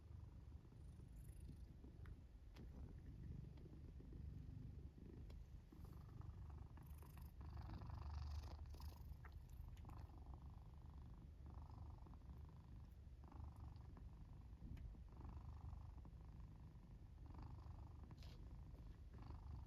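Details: Black domestic cat asleep in its fort, purring and snoring: a steady low rumbling purr throughout, with soft breathy swells of snoring at intervals in a quiet indoor room.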